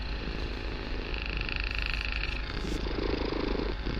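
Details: Kitten named Barsik purring loudly in a room, a dense low vibrating rumble that swells into a stronger breathy pulse near the end, with a brief higher hissing band partway through.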